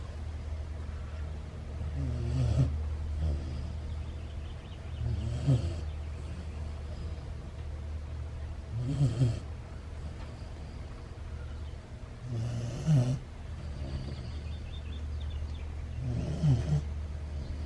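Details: Ace the Husky puppy asleep and snoring. Five softer, low, throaty snores come about every three to four seconds over steady low background hum.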